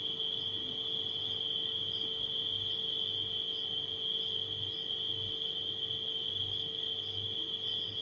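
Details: Unbroken shrill cricket trilling at night with occasional higher chirp pulses, set against the deep, wavering hum of a running refrigerator.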